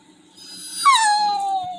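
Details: Indoor Labrador Retriever Toby, glum after rain cancelled his walk, voices a rising-then-falling plaintive whine lasting around a second, sliding down and tapering off; low background hum and a woman speaking reassuringly around it.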